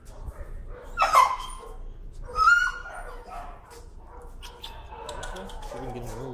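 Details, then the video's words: Timid dog, afraid of the leash and sensitive to leash pressure, screaming in protest during a walk: two loud, shrill harmonic screams about a second apart, then quieter whining sounds under a man's voice. "Timid dog, afraid of leash, screams and protests."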